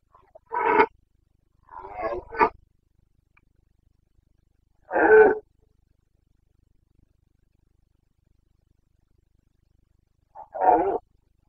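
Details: Rutting Carpathian stag, red deer, Bucovina, 29 September 2022: short hoarse barking roars come in irregular bursts, one single, then a broken double, then two more single blasts several seconds apart, with silence between them.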